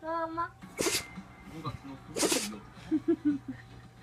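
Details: A Shiba Inu gives two sharp, breathy sneezes about a second and a half apart, a sudden fit of sneezing; the owner wonders whether mosquito-coil smoke caused it.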